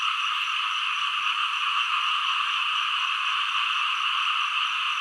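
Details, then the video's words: Frogs calling in a dense, continuous chorus: a steady, shrill, buzzing wall of sound with no breaks or clear individual calls. "เสียงกบ เขียด frog sound 2"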